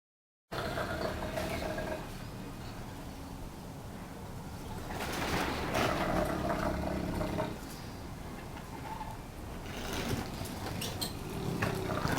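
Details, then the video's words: Brego, a Neapolitan Mastiff almost one year old, snoring while asleep: rough, rumbling breaths in long low waves that swell louder midway, with a steady rasping texture throughout. "snoring neapolitan mastiff brego"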